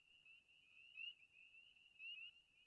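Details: Spring peepers call in the background of a cattail wetland with open water and birds calling: a steady high ringing chorus broken by sharp, rising peeps about a second apart.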